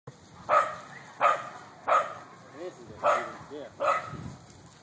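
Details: Corgi at a corgi meet-up barking: five sharp, mid-pitched barks roughly every two-thirds of a second, with soft human voices between them.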